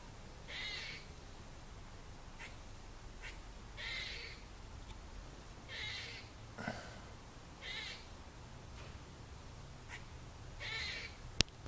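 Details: A squirrel up in a tree in a trailer park on Tuesday, 30 December 2014, gives harsh raspy barks repeated every one to two seconds over a steady low background rumble.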